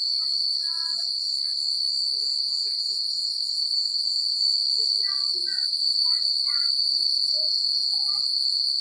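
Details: Crickets chirping at night in a secluded countryside: a steady, high, shimmering trill runs unbroken through the whole stretch, with faint scattered chirps and soft rustles lower down.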